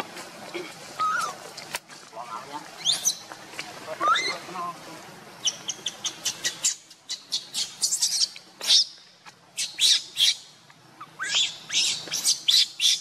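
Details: Mother monkey Luna races along carrying baby Luno as another monkey, Rainbow, tries to pull Luno away. Sharp, shrill shrieks are repeated in irregular bursts, with short rising squeaks early on and a steady run of loud cries later.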